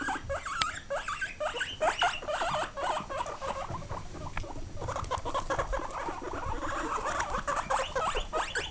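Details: Guinea pig squealing in dense overlapping bursts of rising whistled squeaks, nearly nonstop, with rustling and thumping noises underneath.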